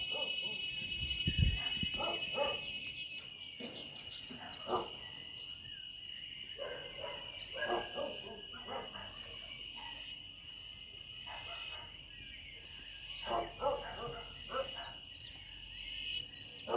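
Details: First cicada song of the season in Sonora, from trees beside a home terrace, taken as news that rain will come soon: a steady, high, unbroken buzzing drone throughout, with intermittent louder thumps and bursts of other noise.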